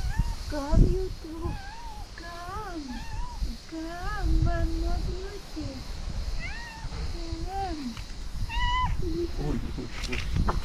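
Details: Domestic cat Nefertiti, who dislikes and fears a gray cat nearby; a run of drawn-out, arching meows, some rising then falling, repeat roughly every second, over Romanian speech and background music.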